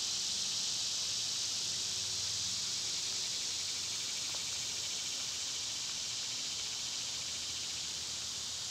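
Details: A loud summer cicada chorus forms a constant, shrill droning hiss with a fine rapid pulse, steady from start to end, and a faint low rumble underneath.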